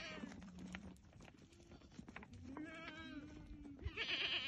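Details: Goats in a herd of about thirty with three young give long, low, wavering bleats, then a sudden bright, strained cry at the end, amid rustling.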